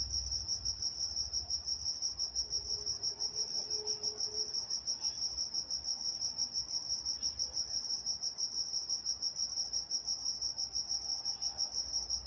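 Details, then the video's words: Night-time crickets in Walnut, California keep up a continuous high, evenly pulsed chirping with an upper overtone band, over quiet background with a faint low hum. "Nature Sounds Night Time Crickets in Walnut, California"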